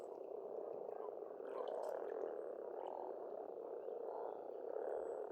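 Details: Spring frog chorus at a pond in Estonia: a dense, steady croaking mass of many frogs with a continuous low rattling drone, with a few faint high bird chirps above it.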